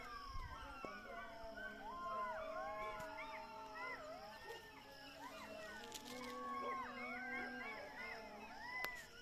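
A pack of jackals howls together in high, wavering, overlapping wails and yips while a call to prayer sounds behind.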